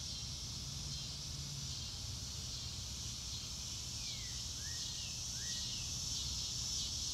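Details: Crickets on a clear blue-sky day in grassland: a steady, high, shimmering chorus that pulses without pause, with a few slurred, falling bird whistles near the middle and a low rumble of background noise.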